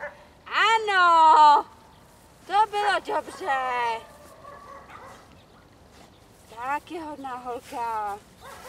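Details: Dog giving loud, high, tonal yelping barks in bursts: one long drawn-out yelp early, a quick cluster of short yelps in the middle, then another run of sharp yelps near the end, with a person talking in the background.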